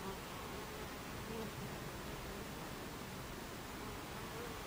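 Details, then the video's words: At the entrance of a Buckfast bee hive on 26 July 2013 at 14:30, many bees make a constant, rough droning hum, with a few short rising whines from bees flying past. "Beehive Entrance Buckfast Bees"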